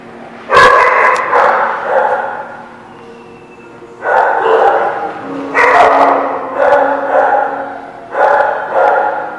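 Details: Dogs barking: bursts of rough, mid-pitched barks in clusters, with pauses of about a second between groups and a faint steady hum underneath.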